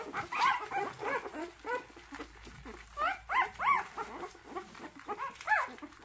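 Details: Motherless puppy in its third day of bottle-rearing, giving quick, soft squeaks and small grunting cries in bursts, rising and falling, about three per second.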